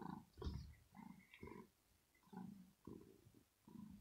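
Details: Rosetta, a female kitten resting in her cat house and annoyed by a poking finger in the morning, answers with short low grumbling growls in uneven bursts, some with a faint higher tone.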